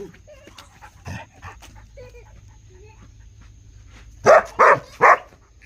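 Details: Dog making soft, low sounds early on, then giving three loud, clipped barks in rapid succession near the end over a faint steady background tone.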